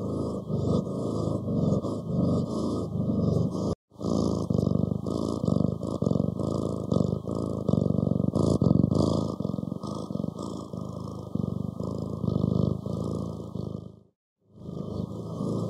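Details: Long stretch of cat purring, a continuous low vibrating rumble with uneven pulse rhythm, broken by two brief silent dropouts near the start and near the end.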